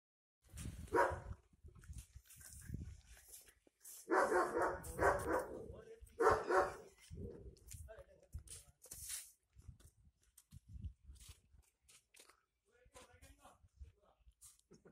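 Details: A German Shepherd attacking men barks in loud, harsh bursts, with a man's voice heard between them.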